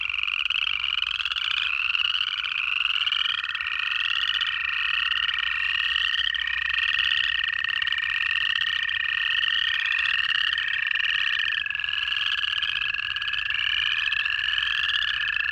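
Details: Georgia frog chorus in January, many native frogs giving rapid upslurred peeps in overlapping runs about every half second, over a steady unbroken lower drone or trill that runs through the whole stretch.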